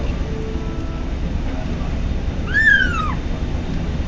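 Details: ['A male kitten called Patches, feeding on his first day in a new home, utters one bright, rising-then-falling mewing squeal lasting about half a second over a low background hum.']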